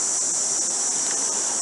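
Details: Cicadas at Katherine Gorge (Nitmiluk) by the Katherine River, Australia, on a Thursday morning among palms and trees, sing in a steady, high-pitched shrill drone that never lets up; the gorge's name means place of the cicada.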